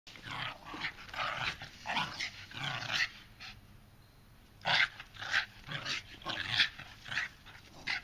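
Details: Two dogs, Sushi and Grapefruit Juice, at play, with Sushi learning to play like a bulldog: rough, raspy growls and grunting huffs in quick clustered bursts, a short lull near the middle, then another run of snarly play noises.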